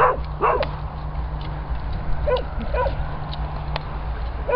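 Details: Springer Spaniel in rescue kennels giving short, sharp barks at irregular intervals, several spread across a few seconds, over a steady low droning hum from the kennel building.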